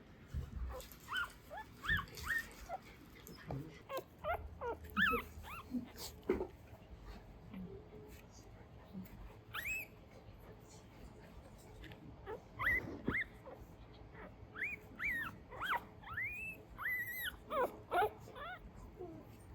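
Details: Newborn Mame Shiba puppies in Isa, Kagoshima, Japan, said to be dreaming, make scattered thin whimpers and squeaks, short arched peeps clustering near the end, with low rustling and handling noises in a quiet room.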